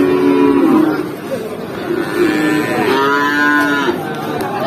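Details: Feeder cattle at the cattle market in Pati, Indonesia, mooing in long, drawn-out, deep calls with a nasal rising-and-falling tone, amid a busy crowd, men talking and market din.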